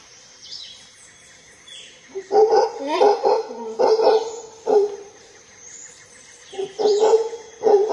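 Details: Howler monkey named Juan Domingo, lord of the Monte Verde forest, roaring. After two quiet seconds come hoarse, guttural bursts in irregular bouts with a harsh, tonal core, a pause, then a second run. Faint high insect hiss continues behind.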